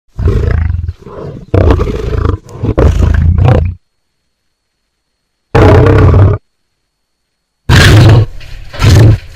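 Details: A lion (Panthera leo) gives deep, rumbling roars in short, powerful bursts separated by silent pauses.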